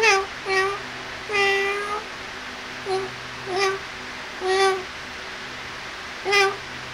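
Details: Kittens playing and feeding with a quick run of high mewing calls, some drawn out and others clipped, packed closely together over steady low room hum.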